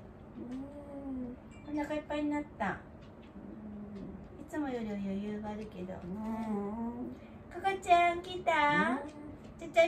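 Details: Wanta, an elderly dog in home care, groans during the morning routine, a dog that vocalizes whenever awake and flails its legs. Drawn-out tonal moans waver and bend in pitch, some rising sharply near the end, with a voice speaking between them.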